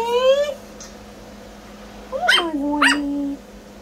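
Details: Brussels Griffon puppies giving a short rising yelp, then two sharp high yips about half a second apart that fall into a brief whine, with a woman speaking affectionately nearby.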